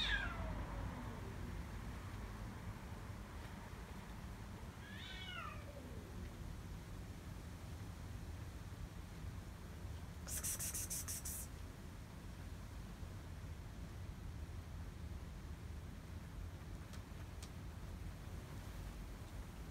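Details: Stray cats fed at night in Israel, where an angry gray male drives three others away; a falling meow opens, a second descending meow follows around five seconds, over a steady low rumble with a short hissing noise burst midway.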